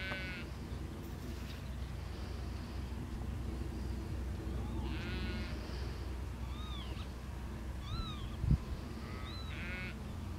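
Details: Sheep herded by a border collie out in a field, giving three quavering bleats spread across the stretch, with a few short arched bird chirps between them and steady low-pitched wind rumble throughout.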